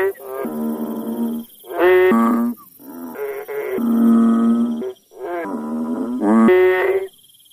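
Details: Several frogs calling in a village, giving nasal, moo-like droning notes about a second long that overlap and alternate between callers, each rich in harmonics, over a steady high-pitched insect whine in the background.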